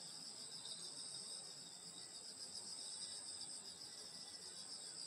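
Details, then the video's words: Grass insects at night in the summer countryside of Korea, grandmother's house setting; shrill layered trilling stays even and continuous, bright high bands throbbing gently, little else heard apart from a muted low hum. "여름소리 풀벌레소리 시골밤소리"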